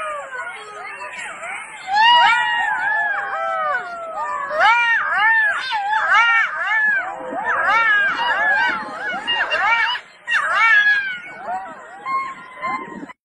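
Foxes giving a rapid, overlapping chorus of high, wavering whines and yelps.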